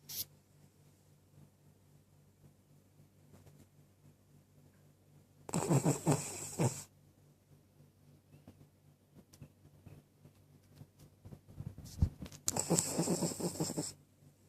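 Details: Cavalier King Charles Spaniel snoring, two long raspy breaths about seven seconds apart, each around a second and a half of broad, hissing rattle, with quiet room hush between them.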